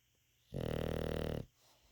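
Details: English Bulldog snore: one deep, throaty, rapidly fluttering rasp lasting about a second, followed by soft breathing.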